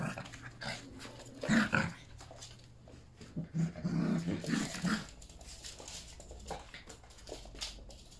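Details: Playing Yorkshire Terrier puppies, three of them, along with Pepper and Mommy before one departs for good; a loud growl near the start, then a longer run of throaty growls and yaps, fading to scuffling.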